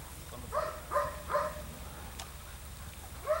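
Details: Female Belgian Malinois attacking during civil drive training, giving short, harsh barks in a quick series of three about every 0.4 seconds, a pause, then one more bark; faint background noise underneath.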